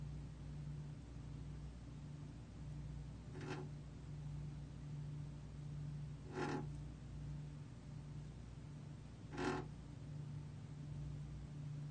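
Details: A steady low mechanical hum fills the background, broken by three brief soft taps about three seconds apart. No animal call can be picked out.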